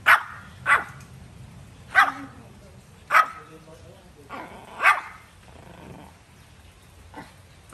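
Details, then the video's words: Dog giving a series of short barks at uneven intervals, some louder and some softer, with a brief voiced sound between them and quieter barks trailing off at the end. "Sound of dog barking"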